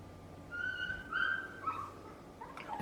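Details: A neighbour's dog, left outdoors, gives drawn-out tonal whines. Three or four sliding, slightly wavering notes follow one another over about two seconds, with a faint steady hum underneath.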